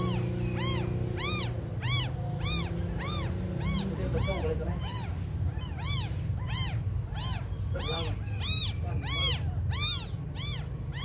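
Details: Abandoned kittens, very small, mewing in quick succession: high arched cries roughly every half second, overlapping voices from several kittens, over a steady low background hum.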